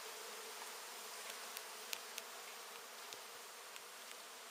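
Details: Honey bees droning loudly at a large indoor hive being relocated. The broad, steady buzz is dotted with soft, irregular ticks about four times a second.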